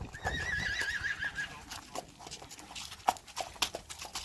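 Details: Friesian horse mares reluctant to go outside give a high, quavering whinny lasting over a second, with trembling harmonics, then scattered clicks, thumps and hoof knocks.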